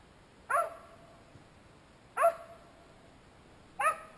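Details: A one-year-old Finnish Spitz gives its first bird barks, three sharp, high-pitched single barks about a second and a half apart, at a pheasant that has flown up into a tree.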